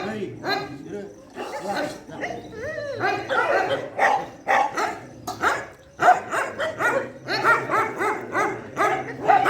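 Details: Shelter dogs at night feeding time bark densely and overlap, with some higher whining, rising and falling notes mixed into the clamour.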